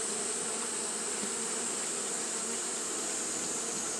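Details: Continuous humming of Japanese honey bees fanning in hot weather, a thick even drone with a strong high sizzling band, level and uninterrupted.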